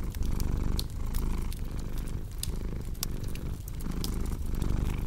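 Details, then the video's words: Deep, steady cat purring with a soft rhythmic pulse from inhale to exhale, mixed with frequent snapping and crackling of a burning fire. "Purring Cat with Cozy Crackling Fireplace Sound"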